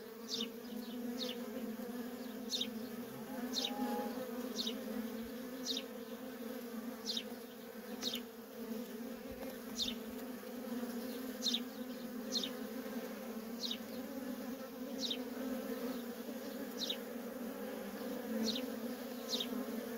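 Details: Nonstop traffic of worker honey bees at a wild feral colony, a continuous even hum with a layered upper tone, punctuated by short sharp falling chirps repeated roughly every one to two seconds throughout.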